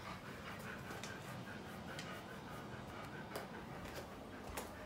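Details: Siberian Husky named Bunta, indoors, pestering a sleeping owner awake with a cold nose just to wake them; rapid irregular panting with faint snuffling and occasional soft clicks.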